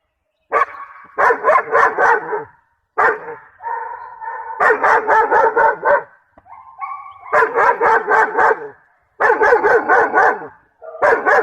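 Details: Aggressive German Shepherd female at Red Lion Kennel, kept for security or show, barking harshly in rapid volleys of about four barks per second, bursts lasting one to two seconds, with brief higher whine-like tones between bursts.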